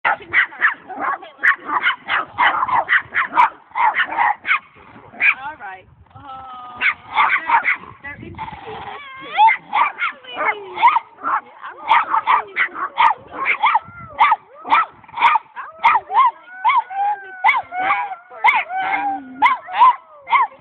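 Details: A domestic dog meeting two new dogs while hanging out with dog friends, her usual unfriendly greeting bark shifting toward a howl and high-pitched play bark; rapid repeated harmonic barks, a drawn-out wavering howl in the middle, then more quick yips.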